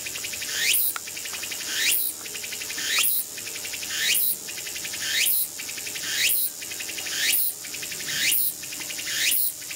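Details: A Walker's cicada (tsukutsukuboshi) sings loud, high, buzzy phrases about once a second, rendered in the countryside as "ooshin tsukutsuku… takabeccho."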